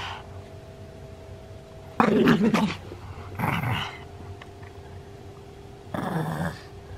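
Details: Senior pug in Japan, recorded 31 October 2020, giving short rough growling grunts in three bursts, the first and loudest about two seconds in, with a steady low electrical hum between them.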